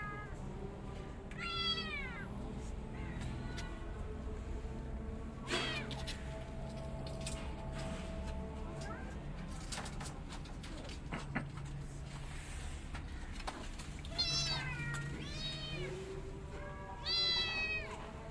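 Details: Mother cat and kittens: several sharply descending meows scattered across the recording, some short and high, others longer, separated by long stretches of rustling, clicks and background noise.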